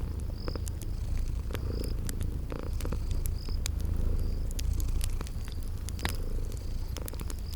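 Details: Sleeping cats purr in a soft, constant low drone while a fireplace crackles with scattered sharp pops and a cricket chirps repeatedly in the spring garden background.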